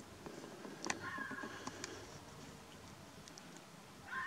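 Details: On a misty night by a train line, a fox gives hoarse, drawn-out howling cries over a steady background hiss.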